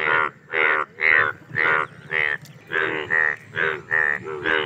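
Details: Indian bullfrog mating call: loud, buzzy, bleating croaks repeated about twice a second in a steady pulsing chorus, each note short and harsh, with a faint low hum in the background.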